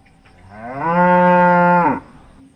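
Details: Calm cow during a quiet morning on the farm, lowing once in a single sustained moo that rises briefly at the start, holds a level pitch for about a second, then stops sharply.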